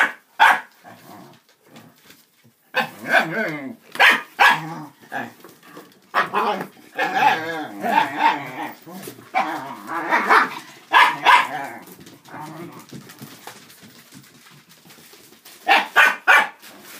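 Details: Dachshunds at play, three adults with two puppies, tumbling in a cardboard box and cat tunnel: irregular yaps and barks scattered through a busy stretch with rustling, a quieter middle, and a final pair of barks.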